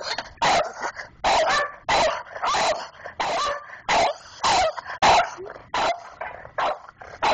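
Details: Two pet dogs, Sidney and Keane, defend the mail box slot of their house, Sidney doing most of the barking; loud, sharp barks come in quick irregular bursts, roughly one or two a second, with short gaps between volleys.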